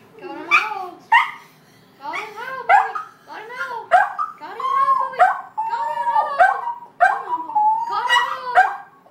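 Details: Domestic dog howling to call the hogs: a series of wavering, yodel-like howls with rising and falling tones, each a second or less, broken by short gaps and repeated about eight times.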